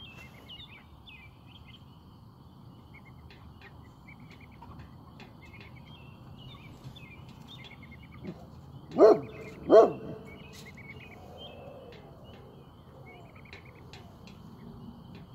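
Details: Great Pyrenees on watch, at work after play: two deep, loud barks less than a second apart, standing out from a quiet background of soft bird chirps and faint outdoor noise.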